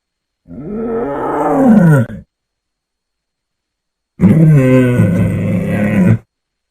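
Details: A tiger gives two deep, rasping roars, each about two seconds long, separated by a pause.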